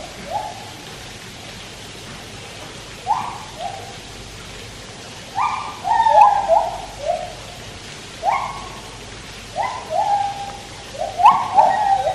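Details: White-handed gibbons at Taipei Zoo sing clear, hooting notes that swoop upward, some ending in a quavering trill, while a Malayan tapir swims nearby.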